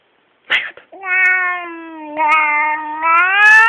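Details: Angry male pet Siamese cat indoors giving one long, loud, harsh caterwauling meow lasting nearly three seconds, steady then rising in pitch toward the end, preceded by a brief burst of human voice.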